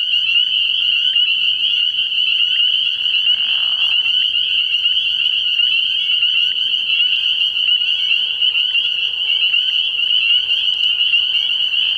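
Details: Dense night chorus of spring peepers at a frog pond early in the year, high repeated peeps overlapping into a continuous shrill band, a short lower call around the third second.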